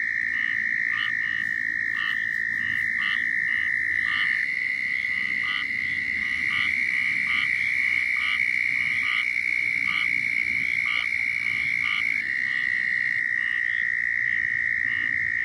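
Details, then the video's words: Chorus of southern toads giving mating calls in Florida: long, continuous high trills overlap and hand over to one another, the pitch stepping slightly near the end, with rapid pulsed notes from other callers behind. "Southern Toads Calling in Florida"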